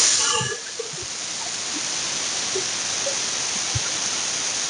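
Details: Russell's viper (Daboia russelii) hissing as a warning when threatened; a steady, prolonged broadband hiss of breathy, high-pitched noise lasting the whole clip, slightly louder at the very start.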